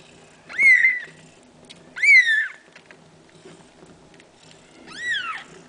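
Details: Cats during nursing: mother Kaewe feeds her seven young kittens around the clock. Three high, clear mews, each rising then falling, about a second apart with a pause before the last, over a faint rustling background.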